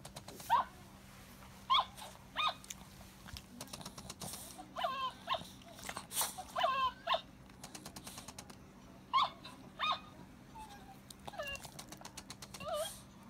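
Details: Cavalier King Charles Spaniel at play, jealous, making repeated short whines and yips, some rising and falling, scattered across the recording with pauses, plus soft clicks and a steady low hum.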